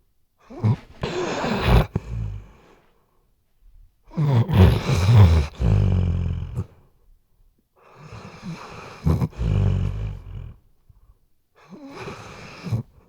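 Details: Snoring Weimaraner asleep indoors, captured on a RODE NTG3B microphone: four long, deep, rattling snores spaced about three to four seconds apart, each a low harmonic rumble with breathy noise, quiet pauses between.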